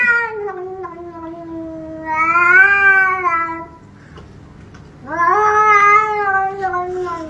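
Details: Angry cat giving two long, drawn-out yowls, each about two seconds, wavering and rising slightly in the middle, separated by a short pause; a person speaks briefly afterwards.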